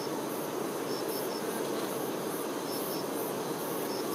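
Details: Honey bee workers tending their queen, a dense, steady, low buzzing hum of many bees with no breaks, under faint high chirps that come in short groups of two or three.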